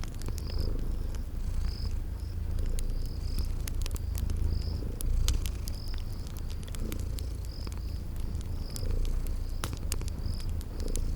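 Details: Sleeping kitties purring in a cozy spring garden scene by a crackling fireplace: a steady low rumble with slow swells, short high cricket chirps repeating every second or so, and sharp fire crackles throughout.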